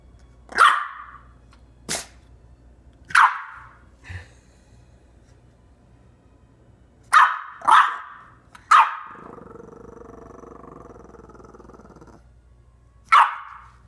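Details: Female French Bulldog puppy with hiccups, frightened into barking and growling: sharp single barks scattered over the clip, about seven in all, with a low rumbling growl after the ninth second.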